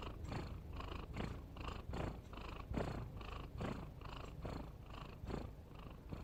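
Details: Domestic cat snoring, a soft rasping rumble pulsing in steady breaths a little over once per second, each breath a broad low burst with faint higher hiss, quiet indoor setting.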